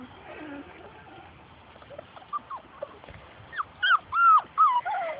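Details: Labrador Retriever puppies from Grace and Sam's litter playing outside and chasing their mother; after a quiet rustling start, a quick run of high, bending whines and yelps fills the last two seconds.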